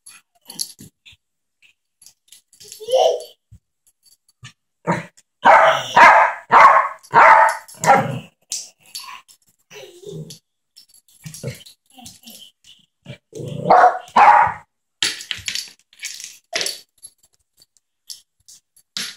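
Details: Yorkshire terrier Ketty at play with a little boy indoors: a quick run of five or six sharp, yappy barks in the middle, a couple of later bursts, with human voices and small knocks between them.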